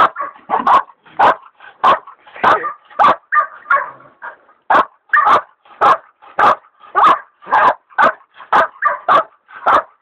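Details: Baying a big sow hog, hog dogs Dixie and Dollie (the leopard dog Dollie still in training) give sharp barks nearly twice a second in a steady rhythm, with a short lull around four seconds.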